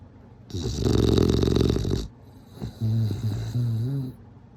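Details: Bulldog snoring: one long, harsh, rasping breath roars for about a second and a half, then a pause before a run of lower, throaty, fluttering snorts that vibrate and wobble in pitch.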